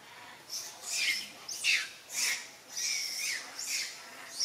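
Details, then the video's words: Mother monkey Alika, calling Papa Kang Kep for help: harsh, squawking bursts with high descending squeals, about six in under five seconds at an uneven pace, over a faint hiss. "Poor Mother Monkey Alika | Call Papa Kang Kep for help"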